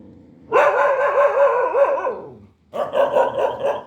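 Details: Dog giving a long drawn-out, wavering bark-howl lasting about two seconds, pitch wobbling up and down, followed after a brief gap by a second shorter wavering cry.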